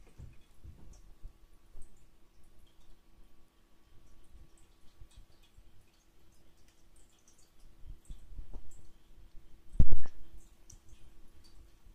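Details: A quiet indoor room with faint soft clicks and a single sharp knock near the end, with no animal voice heard.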